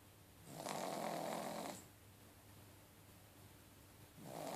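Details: Fredzio, a pug, snores while asleep: one long, raspy, breathy snore lasting over a second, a quiet gap of steady room hush, then the next rough inhaled snore starting just before the end.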